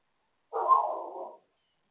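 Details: Dog next door barking: one harsh, rasping bark lasting nearly a second, loud at the start and fading, with nothing else heard around it.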